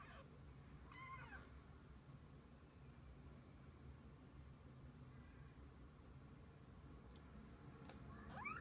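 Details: Domestic cat, a mother with her kittens spending the day together: two short, faint rising-and-falling meows, one near the start and one at the very end, separated by a long quiet stretch over a low indoor hum.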